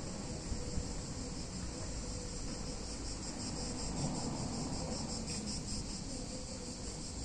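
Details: Cicadas on a hot summer day in a picturesque Italian town, their shrill, unbroken buzzing drone pulsing rapidly and evenly throughout, set over a steady low rumble of town background noise.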